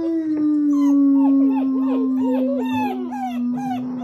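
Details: German Shepherd puppies, including black and long-coated pups, howling together just after breakfast on 21 January 2022, a person starting the howl; a steady low sustained tone runs beneath overlapping wavering, sliding higher yips and howls from several pups.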